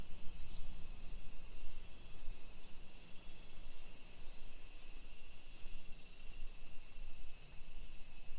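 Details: Summer cicadas in a hillside residential neighborhood of Nisshin city, suburban Nagoya, Aichi Prefecture, Japan, at 1 PM on 28 July 2021: a steady, shrill high-pitched drone holds without pause throughout, over a faint low hum.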